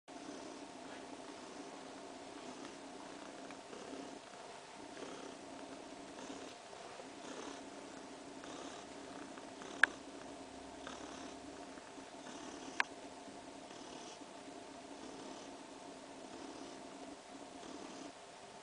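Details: About three weeks pregnant domestic cat purring while sleeping and kneading with her paws, content and at ease indoors; a steady, continuous low rumbling purr with even pulses throughout, two faint clicks midway.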